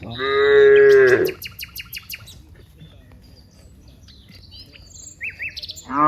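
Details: A cow in a wide rice field, among dozens of others, gives a loud, drawn-out moo, with small birds chirping in the background.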